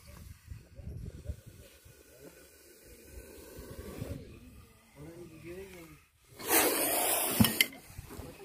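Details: An angry cobra, cornered during a snake rescue from a bathroom, gives one loud, breathy hiss lasting about a second. Before it come low murmuring voices and rustling handling sounds.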